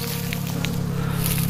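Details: Asian honey bee colony during a natural swarm (pecah koloni), filmed up close: a steady, low droning hum with stacked harmonics holds throughout, with faint rustling on top.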